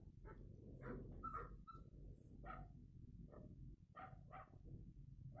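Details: A confused dog reacts to a barking sound: short, harsh barks and yips come in irregular bursts over about five seconds, some in quick pairs, above a low rumbling background.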